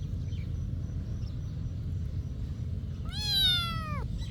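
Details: Cat at a monastery giving a single drawn-out meow about one second long, arched and slightly falling at the end, after a stretch of steady low background rumble.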